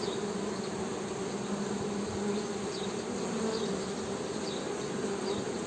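A steady, low humming drone of honey bees, with overlapping buzzes rising and falling slightly in pitch.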